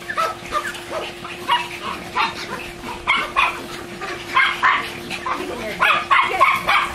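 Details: German Shorthaired Pointers, two dogs frolicking around a pool while swimming, retrieving and wrestling, give uneven bursts of short barks and yips separated by brief pauses, with a low constant hum in the background.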